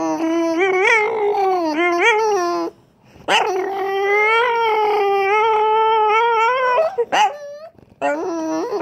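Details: French Bulldog indoors making racecar-like noises: sustained, tonal whining howls with rich harmonics, held steady then rising and wavering like a revving engine, in long bouts broken by short gaps.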